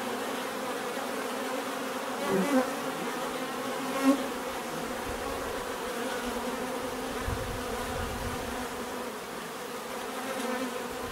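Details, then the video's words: A swarm of bees droning steadily with layered humming tones; a couple of individual bees buzz past close by early on, rising briefly above the constant murmur. "bees therapy relaxing natural buzzing sound"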